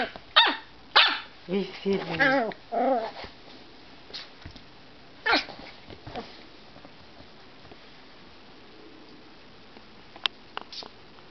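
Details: Pet dog Petal, grumpy and tired before napping, lets out a quick cluster of warbling, harmonic grumbles and yips in the first three seconds, then mostly quiet with a few faint clicks and soft sounds.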